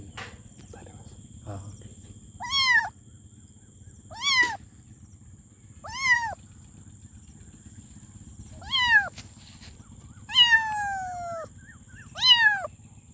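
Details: Meowing kitten calling for its mom: six shrill, arched meows spaced about two seconds apart, one longer and drawn out with a falling tail, over a low background hum and a thin high whine.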